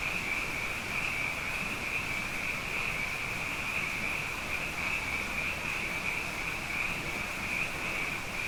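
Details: Abundant frogs calling at night after two wet years in a row, a dense, unbroken chorus forming a steady high trilling drone that never pauses, with faint low rumble beneath.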